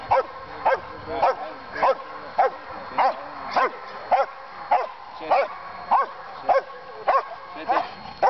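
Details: Dutch police German Shepherd (Alsatian) in training at Boxmeer, Netherlands, barking steadily: a long run of fourteen forceful, clipped barks at roughly 100 per minute, nearly metronomic, with low background hum between them.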